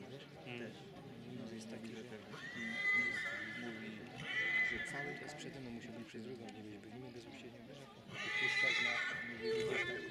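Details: Silesian stallion shown as number 55 at a stallion presentation in Poland: three loud, shrill whinnies about one to two seconds apart, then a longer pause before the third, with continuous men's speech underneath.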